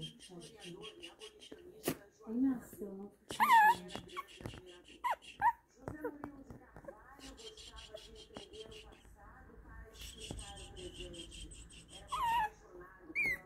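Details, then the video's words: Shih Tzu making a fuss in excitement, giving high, rising-and-falling whimpers in short bursts, mixed with people talking close by indoors. "SHIH-TZU Fazendo a Festa"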